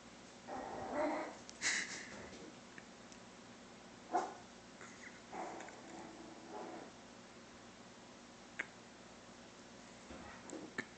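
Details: Puppy barking at a cow: a quiet run of short, sharp barks and yelps in uneven bursts over the first seven seconds, then near silence with a few faint clicks in a small, still space.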